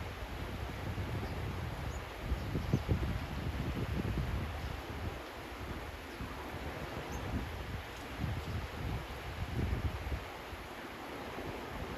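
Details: Low rumbling wind and rustling noise outdoors, with no clear animal call.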